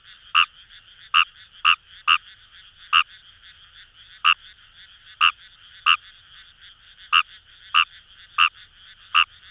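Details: Kawamura's rice frog in Fukuoka paddy fields, Itoshima, Japan: a dozen brief, bright croaks, some in quick pairs and others spaced a second apart, over a continuous buzzing chorus of more frogs.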